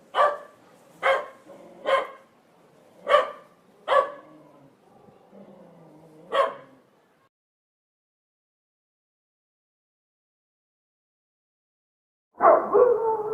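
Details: Barking from a pit bull or another dog: six rough, punchy barks spaced about a second apart, then several seconds of silence before one more louder, longer bark.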